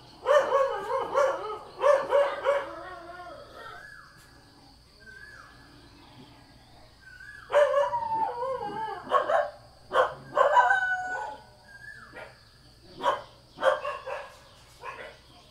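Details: Thai house dog with loud barks at the start and middle mixed with rising whining yelps, tapering to scattered quieter barks, with a steady high-pitched hum behind.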